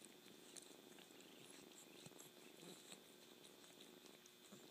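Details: A kitten purrs evenly and continuously, the rumble pulsing without pause, with a few faint clicks on top.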